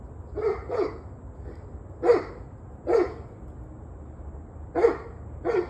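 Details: Barking dog recorded 21 November 2023, 7:06 pm, giving six clipped barks, mostly in loose pairs separated by pauses of about a second, against a quiet background.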